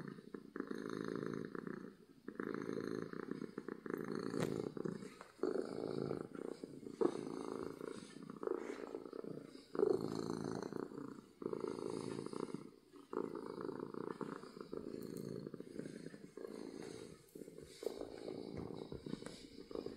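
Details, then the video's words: Domestic cat purring loudly from happiness: twenty seconds of rhythmic low rumbling, each breath cycle lasting roughly two seconds, separated by short quieter dips, with faint clicks. "Cat Purring from Happiness"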